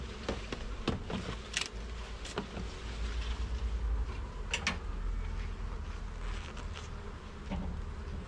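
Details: Garden beehive opened for inspection, honey bees humming steadily beneath heavy low rumbling and scattered knocks and taps as frames are moved.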